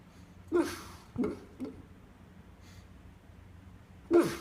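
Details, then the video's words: Sleeping dog, dreaming, makes short snorting, whimpering bursts with brief squeaky tones, four separate outbursts spread over a few seconds with quiet breathing-like hush between them, indoors. "I think my dog is broken. Funny dream snoring"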